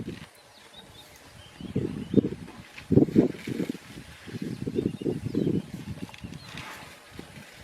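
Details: Mother and infant elephant together: a series of low, pulsed grunting bursts in short groups across several seconds, with faint bird chirps high above and quiet outdoor background.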